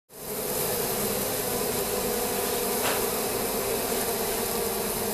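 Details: Asian honey bees in a top bar hive beside a house in Siem Reap, Cambodia, opened and worked slowly without smoke; a dense, steady hum with a strong low drone and a broad hiss above, unbroken throughout.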